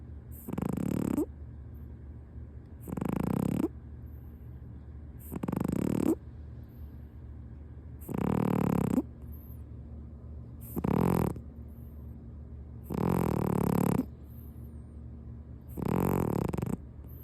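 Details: Punk, a domestic cat, sleeping comfortably on a lap under a kotatsu blanket and snoring loudly; seven rasping, breathy snores, each about a second long, repeat roughly every two and a half seconds with near silence between.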